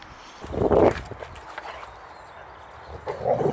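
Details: Boxer dog Rex at play, chased by a bucket while refusing to let go of the ball in his mouth; two short muffled growling bursts, one near the start and one near the end, with a quiet pause between.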